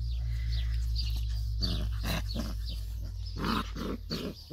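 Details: A litter of seven Labrador Retriever puppies making short, rough grunting and squealing bursts that come in quick, uneven clusters, the loudest near the end, over a steady low electrical hum.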